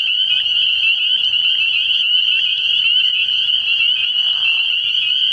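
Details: Early-year nighttime frog pond full of spring peepers: a loud, constant high-pitched trilling wall of peeps, individual notes blurring together, faint low thumps repeating underneath.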